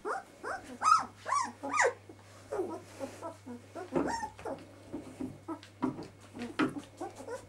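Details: Twelve-day-old puppies whimpering together indoors, a litter giving high, thin, rising and falling squeals and whines in quick overlapping bursts, with a steady low electrical hum beneath.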